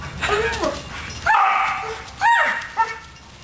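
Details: Dogs hunting and chasing a squirrel outdoors; several high, yelping barks and whines in bursts, with wind or rustling noise and a man's voice urging them on.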